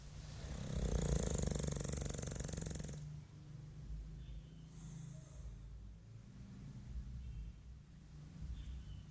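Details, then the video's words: English Bulldog Mike sleeping and suckling his tongue, opening with a loud, rough, buzzing snore for about three seconds, followed by quieter low grumbling breaths and faint airy hisses. "Mike bulldog ingles roncando"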